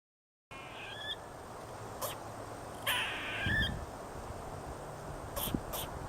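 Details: Squirrel giving two squeaky, harmonic calls that rise in pitch, around one and three seconds in, with sharp clicking knocks scattered between them over a steady background hiss.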